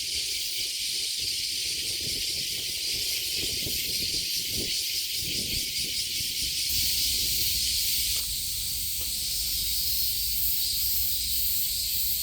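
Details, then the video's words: Summer cicada chorus at Kasai Rinkai Park in Tokyo, Japan, a continuous shrill hiss-like drone that swells slightly after the midpoint, with soft low-pitched background rumble and occasional light knocks. "매미소리에 이끌려- / せみの声に引かれて-"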